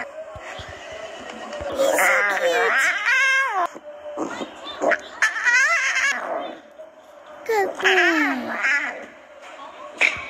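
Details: A young circus lion cub gives high, wavering, cat-like roars while a person speaks nearby.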